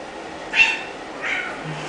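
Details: Oliver, a 10-month-old male orange tabby found at a CVS store in Kansas City, Missouri, an affectionate lap cat awaiting adoption, gives two short, high meows about 0.7 seconds apart indoors. The second is softer, over a low room hum and a television.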